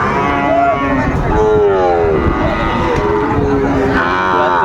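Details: Mooing cattle at a busy market in Dinajpur, Ambari, 27 May 2024, where Sahiwal breed bull calves are sold; overlapping wavering lowing calls run through the clip, over a background of voices and bargaining.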